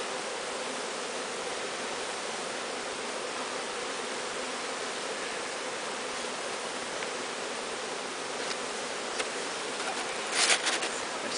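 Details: Swarm of bees taken from high in a large tree and walked into a new hive. The buzzing drone stays steady and continuous throughout, with a few faint clicks and knocks toward the end.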